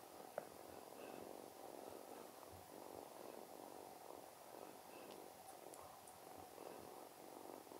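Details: Kitten with separation anxiety that cannot sleep without a golden retriever, purring softly in a steady, rhythmic rumble with gently pulsing breaths and a quiet room hiss behind it.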